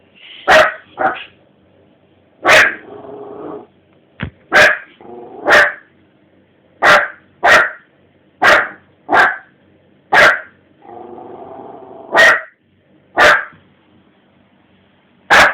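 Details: Indoors around 3 am, a dog reacts to seeing itself reflected in the TV with about thirteen sharp barks, some in quick pairs, separated by low rumbling growls and brief pauses.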